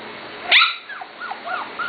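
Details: Corgi pups nearly seven weeks old, from the Katie and Venus litters, let out a loud, sharp yelp, followed by several quick, arching whimpers that dip and rise in pitch.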